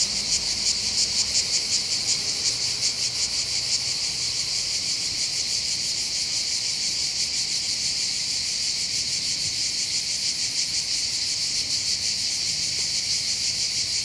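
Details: Cicadas singing above Bandol harbour in the Var, Côte d'Azur, overlooking the calm Mediterranean: a high continuous buzz, clearly pulsed at first and then smoothing into an even drone, slightly softer overall.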